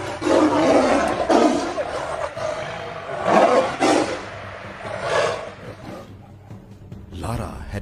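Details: Two Bengal tigresses, sisters, snarl and roar in harsh, rasping bursts as one attacks the other for intruding with her cubs, near a water body in Tadoba National Park, in the hot dry season at about 45 °C.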